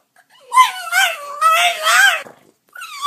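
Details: French Bulldog 'talking' indoors with a growly, whining grumble that wavers in pitch over two seconds, a short pause, then a rising whine starts again.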